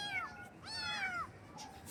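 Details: Morning meowing of baby kittens: two thin, harmonic meows in quick succession, the second longer and bending downward, with a faint third call trailing off in a quiet room.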